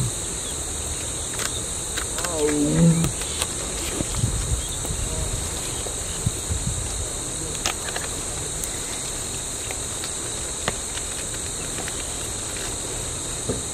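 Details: Big male tiger at Tadoba, seen on safari after swimming across a dam, roaring to call for a mate: a deep, low, rumbling roar in the first seconds over a constant high shrill of insects, then quieter rustles and clicks.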